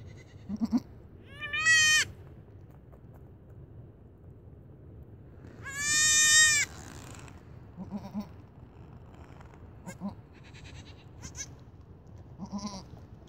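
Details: Late-born goat kid greets its owner with two drawn-out bleats, the second longer and louder with a shaky vibrato, separated by a few seconds of quiet rustling and small clicks.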